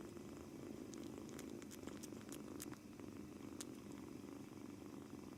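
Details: Kneading British Shorthair kitten, a two-month-old male newly arrived home, keeps up a low, steady purr; light scratchy clicks from the kneading are heard over the rumble.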